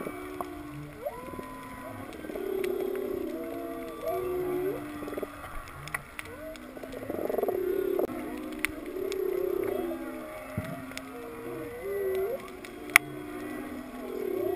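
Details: Whales heard underwater off Kaanapali during a snorkel free dive to 19 feet over a wrecked sailboat keel and coral: overlapping low moans and rising, swooping tones over a steady crackle of reef snaps.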